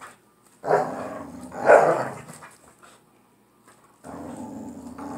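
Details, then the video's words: Two pit bull dogs wrestling for a toy in play. Two loud, snarling growl bursts come about a second apart, followed by silence, then a lower, sustained rumbling growl. "Two pit bull dogs fight over a toy!"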